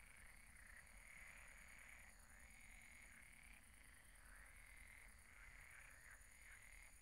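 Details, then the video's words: Frogs croaking at night at a pond: a dense, continuous chorus of overlapping buzzy croaks in repeated pulses, with low rumbling background noise throughout. "Relaxing sounds of croaking frogs at the pond"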